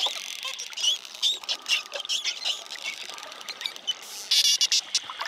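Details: A pod of friendly wild spotted dolphins underwater in the Bahamas: dense trains of rapid clicks and buzzing pulses with short high whistles, crackling over several seconds.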